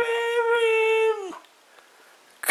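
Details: Siberian Husky female Mishka, indoors with bottles: one steady, tonal howl held for about a second, then sliding down and fading, followed by quiet and a brief clatter at the end.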